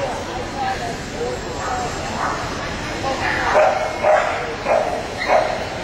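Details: Barking Samoyed in the 6-9 puppy class at the Atlanta Samoyed Specialty: murmuring voices fill the first half, then four loud, short yapping barks follow at roughly half-second gaps.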